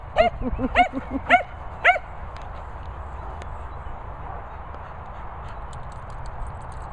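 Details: Running Cocker Spaniel lets out four bright, high-pitched yelps roughly half a second apart, mixed with softer lower yips, then falls quiet, leaving only a steady outdoor hiss and faint clicks.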